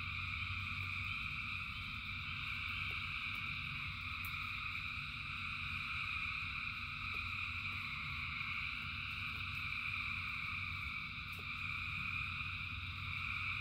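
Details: Rain-soaked frogs call together by the thousands, producing a continuous high, buzzing chorus in stacked bands above a persistent deep rumble of falling rain with brief tapping sounds.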